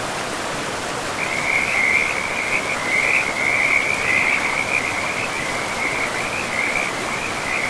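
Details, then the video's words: Frog by a forest river, calling in a long continuous trill that pulses and wavers in loudness for about six seconds, set against the constant hiss of flowing water. "River and Frogs sleep sounds 10 hours"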